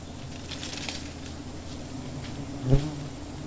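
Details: Giant honey bees (Apis dorsata) at a wild nest in a tree, a steady low droning hum layered in several tones, with one brief knock near the end.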